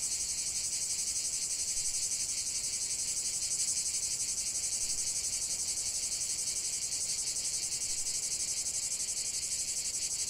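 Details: Cicada chorus of high, metallic buzzing, pulsing rapidly and evenly at about four beats a second for the whole stretch, with no other animals or noises standing out.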